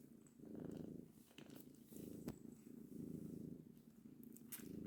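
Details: Domestic cats with their kittens purring indoors; soft rumbling purr in three long bursts, each about a second, rising and fading with breathing, with faint voices in the background.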